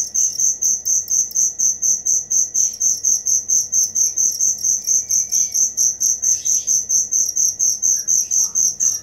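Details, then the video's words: Steady high cricket chirping, sharp regular pulses repeating roughly twice per second at one constant pitch, with faint soft background chirps. "Suara Jangkrik asli"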